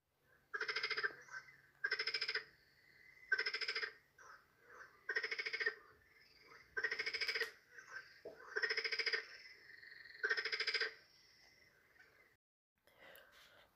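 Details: Marsh frog from Poland, whose Polish name means 'laughing frog' to match its voice, giving a series of seven loud, rattling, laugh-like bursts about every one and a half seconds, with short quiet gaps and faint softer notes between them.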